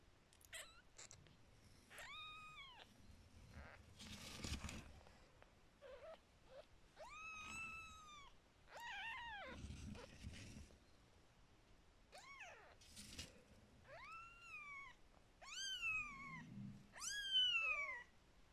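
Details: A happy kitten being given a massage gives high, rising-and-falling mews in quick succession, with soft low rumbles between them.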